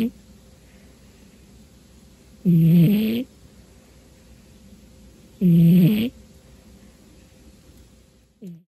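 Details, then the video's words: Domestic cat sound asleep on a dark New Year's Day afternoon; two low, throaty snores about three seconds apart, with a faint start of a third at the end and a quiet room otherwise. "Snoring Kitty Cat"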